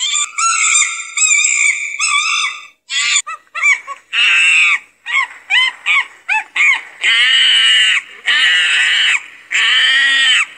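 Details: Monkey vocalising with a few long tonal wails first, then a jumble of short choppy squeals and finally several loud drawn-out screeches.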